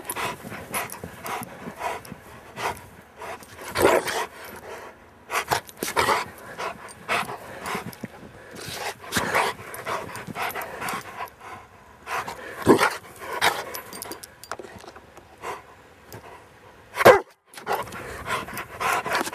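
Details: Pet Rottweiler at play in Maryland snow, afternoon of Saturday, December 19, 2009: scattered rough, breathy panting bursts, irregular and varying in strength, separated by near-silent pauses, one sharp louder burst late on.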